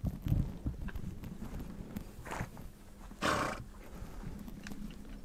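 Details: Mongolian steppe horses amid low rumbling movement and soft thumps, with a fainter breath and then one strong, airy snort past the midpoint.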